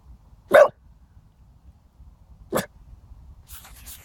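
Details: Ted the dog freaks out at nothing, possibly distant fog: two sharp barks about two seconds apart, then faint rustling.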